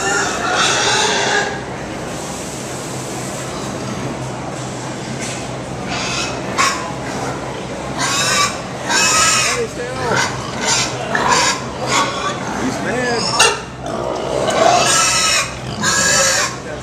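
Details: Pigs crying like babies at the Minnesota State Fair in 2017 let out a long run of shrill, raspy squeals and honking cries, some short, some drawn out, pausing now and then, over a background of fairground chatter.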